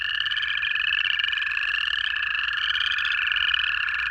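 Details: Native frog chorus recorded in Georgia in January: a prominent, lower sustained buzzing trill runs beneath higher, rising notes that repeat and overlap, the whole chorus droning without pause.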